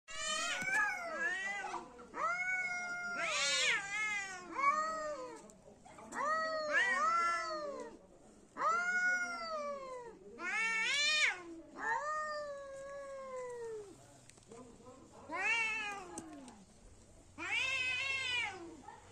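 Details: Two cats fighting trade long, wavering yowls and wails in a tense caterwaul.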